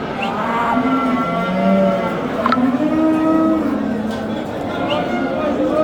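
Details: Simmental bulls at a livestock market in Qorasuv, Andijan region, Uzbekistan, offered for sale; low, steady mooing held for a second or more at a time under chattering voices and busy market bustle.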